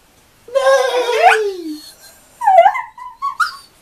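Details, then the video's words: Schnauzer dog singing: one long wavering howl falling steadily in pitch, followed by a few short yipping, whimpering notes. "Singing Schnauzer"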